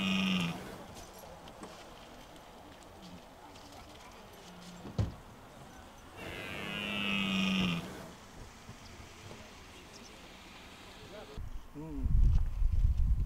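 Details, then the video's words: Red deer during the rut in park De Hoge Veluwe, Netherlands, 2023, at a spot where rangers feed the animals apples. Two deep, drawn-out moaning roars, a short one at the start and a longer one after six seconds, with a sharp knock and closing rustle. "Bronst Edelherten 2023"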